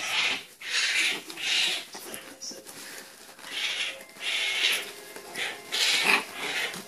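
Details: Baby raccoons being hand-fed produce harsh, breathy squealing bursts, roughly one per second, each lasting about half a second, with a person speaking softly between them.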